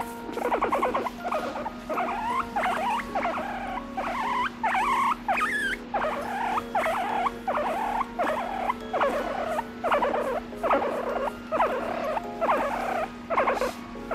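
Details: Sleepy pet guinea pig, a little over three years old, grumbling as it drifts off: runs of quavering, wobbly squeaks in bursts of about a second with short pauses, over a constant low hum.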